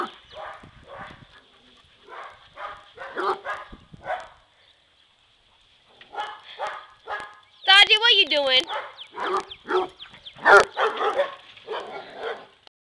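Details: Three pet dogs, a yellow Lab mix, a black Lab and Australian Shepherd mix, and a Basset Hound named Elwood, barking while running around and playing together; short barks come in quick bursts, with a higher whining yelp midway and people talking.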